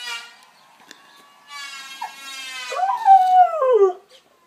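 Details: Following the planer's whine, a dog answers with a short howl that swoops upward, holds briefly, then slides down and fades, lasting just over a second.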